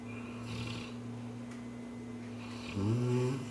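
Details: Cane Corso dreaming in its sleep, soft raspy breathing ending in a short whining, rising groan-like sound, a steady hum in the room behind.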